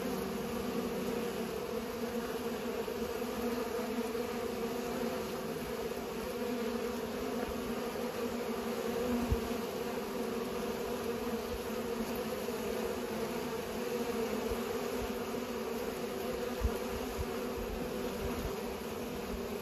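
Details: Bees pollinating flowers, a steady continuous buzzing hum with bands near 250 and 500, unbroken for the whole stretch, low rumbles underneath.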